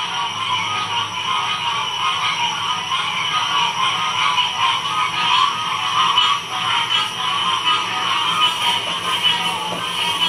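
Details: Frogs chorusing at Ocean Springs, Mississippi, in 2016. Many voices merge into a steady shimmering drone with a pulsing, trilled texture at middle and high pitch. Intensity swells slightly midway, and faint low rumbling sits underneath.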